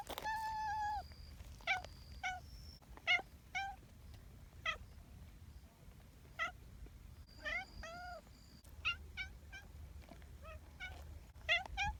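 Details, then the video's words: Community cats meowing repeatedly: many short, chirpy mews and a few longer wails, irregularly spaced over twelve seconds, over a low background rumble. "Cat meow, voice"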